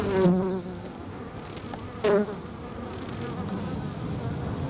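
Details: A Carniolan honey bee gives a low, pulsing buzz during the waggle dance on an observation hive comb, recorded in July 1990; the sound comes from wing puffs modulated by waggling, most likely attention signals for bees around the dancer in the dark.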